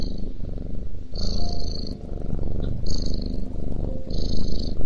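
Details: Purring cat feeding, deep pulsed rumble rising and falling in loudness, while short steady high-pitched whines recur in the background.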